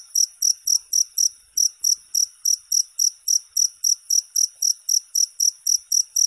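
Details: Cricket song played non-stop to help with sleep: sharp, high trilled chirps coming in quick succession, about three to four each second, steady and clean against silence.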